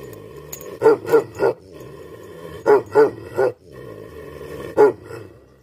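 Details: Tibetan Mastiff (Bhote Kukur) barks angrily in quick groups of three deep woofs, then a single bark, over a constant low droning hum.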